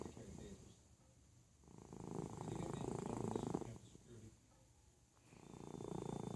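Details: Indoors, the pet cat Felix sleeps and snores. Coarse vibrating rumbles rise to a loud two-second peak, drop to a quiet breath, then build again near the end.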